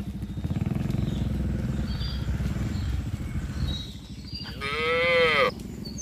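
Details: Herd of tame cattle moving from a wide green field to the pen; a low pulsing rumble fills the first half, then one strong, bending moo sounds near the end.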